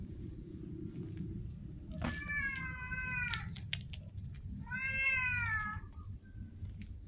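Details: Street cats meowing: two drawn-out harmonic meows, the first level and wavering, the second rising then falling, over a steady low rumble and a faint high electrical whine.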